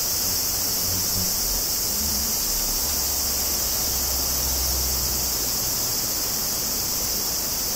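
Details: Higurashi cicadas in Kobe, Japan, on 14 August 2011, captured with Zoom field recorders: a continuous bright, sizzling high drone holds level throughout, with soft low-frequency murmurs underneath.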